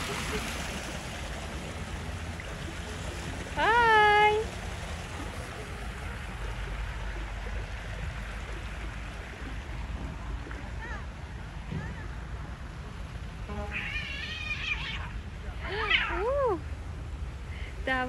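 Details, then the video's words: Stray cats fighting outdoors, in natural surroundings by stairs: a loud rising-falling wailing yowl near four seconds, then a cluster of wavering harmonic yowls around fourteen to seventeen seconds over steady running water and brief human voices. "the fight of two other stray cats"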